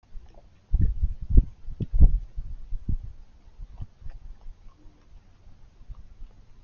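A raccoon chews noisily, making soft, irregular crunching and smacking sounds.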